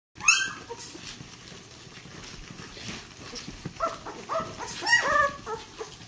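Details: Ten-day-old Vizsla puppies taking their first steps, giving high squeaky whimpers and short yelps, a loud squeal at the start and a cluster of rising-falling cries near the end, with faint rustling beneath.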